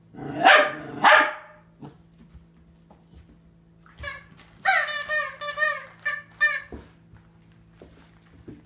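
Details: Catahoula Leopard Dog puppy Penny, four months old, barking at her mirror image in a bathroom over her toys; two loud barks open, then a rapid run of high, whiny yelping barks, with a low hum behind.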